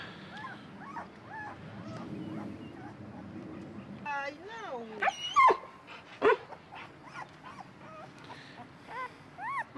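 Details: Siberian Husky puppies from the mother's final litter whimpering and whining: short high tonal cries that rise and bend, clustered near the middle and end, with a person talking softly in the background.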